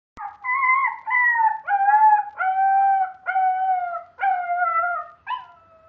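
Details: A Siberian husky puppy, in its first week at a new home, sits at the front door and howls in a string of wavering, slightly falling notes with brief breaks between.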